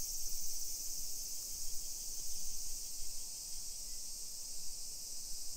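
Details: Cicadas singing in summer along suburban streets of Nisshin, near Nagoya, Japan, early afternoon of 28 July 2021; unbroken high sizzling buzz holding evenly throughout, with a constant low murmur of footsteps and town sounds beneath.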